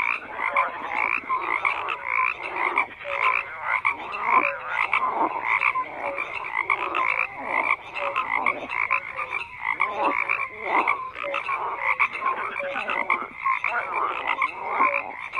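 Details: A dense frog chorus of overlapping croaks, many callers at once, with rapid pulsed rattles and short tonal notes repeating throughout, steady and continuous with no other sounds.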